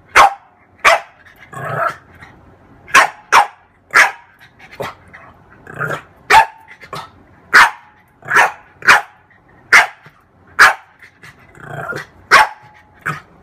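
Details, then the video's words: French bulldog, a female, playing at her reflection in a mirror, barking sharply again and again at uneven intervals, mixed with low growls and snorting grumbles between the barks. "Roxie french bulldog"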